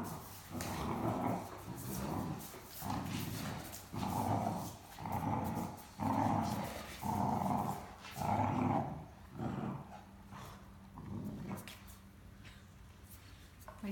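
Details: Great Dane puppy and adult Great Dane playing indoors over the same stuffed toy, the talkative puppy complaining as they play: a run of deep, grumbling growls, each about a second long, in steady pulses before fading to softer grumbles.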